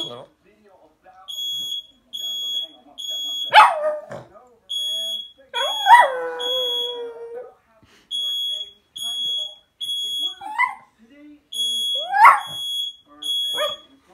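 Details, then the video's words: Pet dog barking at an indoor fire alarm: short sharp barks and one longer whining howl break out between the alarm's repeated high electronic beeps, with a person speaking in the background. "My dog barking at the fire alarm"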